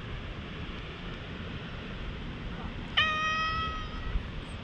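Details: Stray cat in a high-altitude park, first a little wary, then rubbing its head and allowing petting, filmed with a GoPro; one clear, drawn-out meow of about a second and a half after quiet outdoor background hum.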